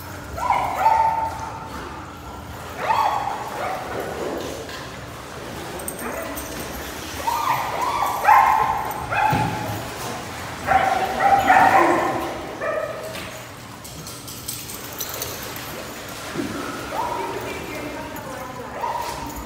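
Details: Several dogs bark and yip over about twenty seconds, with loud harmonic barks arriving in irregular clusters, some high yelps and whimpers between them, and a faint human voice.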